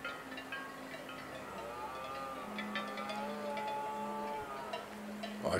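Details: A red deer stag gives a long, drawn-out moaning bellow during the rut, at a forest rutting ground in Pays d'Aspet, France, on 3 October 2017, where several stags and a herd of hinds gathered.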